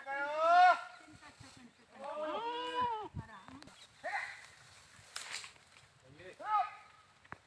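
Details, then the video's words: Goat giving loud, quavering bleats, several drawn-out, harmonically rich calls that rise and fall, separated by short pauses, with a brief rustling burst between them. "funny #goats sounds funny #bakra sounds"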